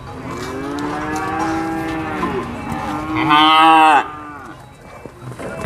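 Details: Cattle at a livestock market at Prambanan, Indonesia: a long, low, droning moo with stacked harmonics, then a second louder, harsher bellow that cuts off abruptly, over crowd chatter and market noise.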